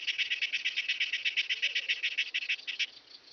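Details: Myrmeleotettix antennatus singing at Nesvady, Slovakia, 23 July 2023: a quick series of evenly spaced raspy pulses, roughly a dozen per second, stopping abruptly after about three seconds.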